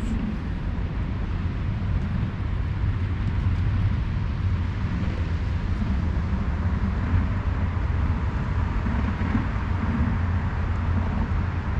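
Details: Steady low rumbling engine-like noise fills the whole stretch, with no animal calls standing out.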